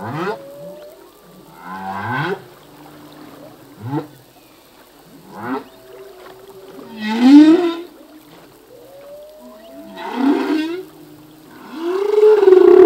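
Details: Full-length song of a male humpback whale: a sequence of short rising chirps and grunts, steady low tones, then progressively louder upswept wails ending in a powerful drawn-out moan.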